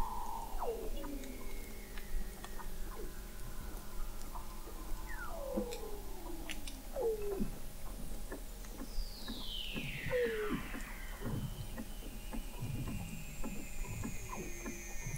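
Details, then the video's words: Weddell seals recorded under Antarctic sea ice in McMurdo Sound, November 2017, 21 m below the ice: repeated short downward-sweeping chirps, a long high descending glide, and low pulsed grunts, with other seals whistling faintly in the distance. "Song of the Antarctic Weddell Seal"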